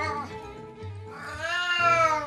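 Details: A 12-year-old domestic cat left home alone gives a long, drawn-out mournful meow that rises then falls, over background music; it cries almost nonstop whether or not its owner is home, for unknown reasons, and a checkup found it healthy.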